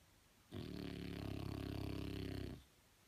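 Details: French Bulldog asleep, one sustained rough snore lasting about two seconds, a rapid fluttering rattle throughout, rising sharply and ending abruptly in a quiet room.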